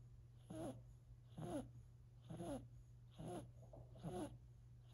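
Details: Silver Siberian kitten named Sacha, four months old, snoring while asleep: five raspy, tonal breaths rising and falling about once a second at an even pace, over a steady low electrical hum indoors.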